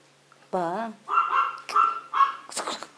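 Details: A person's short spoken word, then a little Maltese or Yorkshire terrier puppy answers with three or four high, nasal barks in quick succession.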